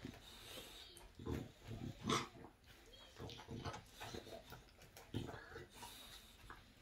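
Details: An English Bulldog gnaws on a bone, giving wet crunching clicks and brief nasal snorts, with a louder burst of gnawing near the middle and softer crackling afterwards.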